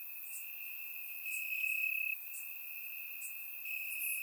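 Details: Summer-night crickets in grass, Bulgaria, surround microphone; a constant high trill grows louder for about half a second, then eases, with sparse higher chirps of other crickets scattered through.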